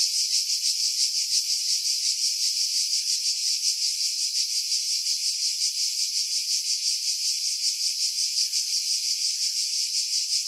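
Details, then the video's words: Pine-dwelling cicadas at Pefkos Bay, Skiros, Greece, July 2018, producing a steady high-pitched buzzing chorus with fast regular pulsation, heavily filtered to remove strong wind buffeting. "Cicada Sounds, July 2018 Skiros, Greece"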